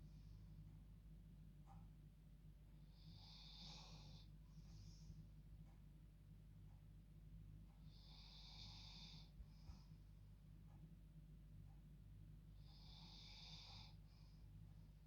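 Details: Dog dozing in her bed at bedtime gives humanlike snores, three long hissing inhalations spaced about five seconds apart, each trailed by a short snort, against a low steady room hum.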